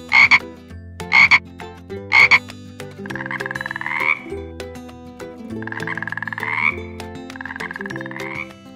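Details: Frog croaking: three short, sharp pulsed bursts about a second apart, then three longer rasping trills with a slight upward pitch lift, all over steady background music for children.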